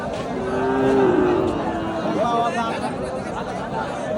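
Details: Cattle at a Qurbani livestock market in 2025, lean animals on sale. One drawn-out low moo swells and fades in the first second and a half, then a shorter rising tone follows, all under constant crowd chatter.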